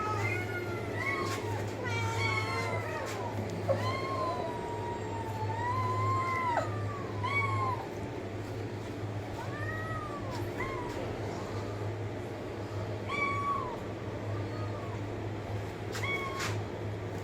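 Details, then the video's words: Series of cat meows, some long with a rising then falling pitch and others short and clipped, over a steady low hum, as a person keeps urging come on and get up. "cat meowing sound effect"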